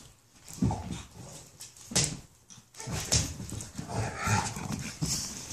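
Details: A sassy 8-week-old female French Bulldog puppy gives short, rough barks and growling yaps, telling off her large, elderly Rottweiler sister on meeting her in 2015.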